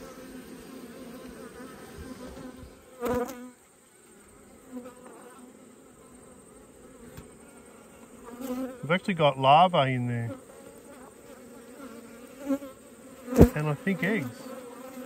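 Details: Honey bees droning around open hives during an autumn check after a colony swarmed: a continuous low hum underlies occasional knocks of equipment and a brief burst of human voice midway.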